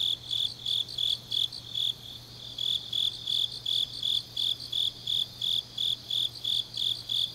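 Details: Night grass insects in autumn at Changnyeong, South Korea, giving clear repeated chirps about three per second, with a short lull midway, other insects trilling faintly behind and a low hum throughout.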